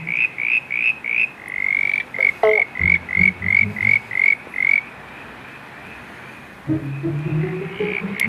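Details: Southern brown tree frogs, at least 30 at a backyard pond on the night of 3 September 2016, give a fast run of about eleven short upswept whistled notes. The notes stop, then soft low background music continues.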